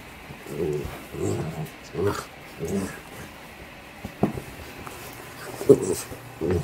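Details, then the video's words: Playful yellow Lab puppy grunting happily as it plays, making low, husky pulsed grunts roughly every half to one second, with a few sharper clicks and a person's voice faintly heard. "Cutest Funny Lab Puppy Grunts Happily | Playful Yellow Labrador Puppy Grunting while Playing"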